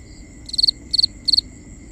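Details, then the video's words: A cricket sings at night, three sharp trilled chirps of three or four pulses each, evenly spaced, with a soft constant high hum and a faint low rumble behind. "Cricket Conversations | Binaural Nighttime Ambience"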